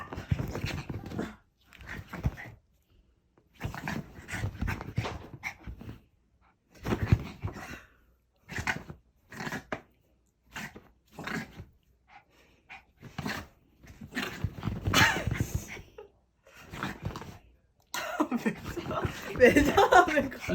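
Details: Puppy Choco, unusually excited and playing rough indoors, producing bursts of growling and snappy barks in irregular clusters with short pauses between, scuffling throughout.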